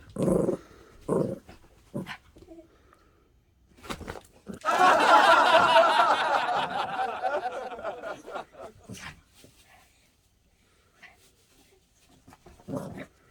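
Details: A Maltese pet dog indoors gives a rough, noisy growling burst lasting about four seconds in the middle, preceded and followed by short human voices and brief sounds.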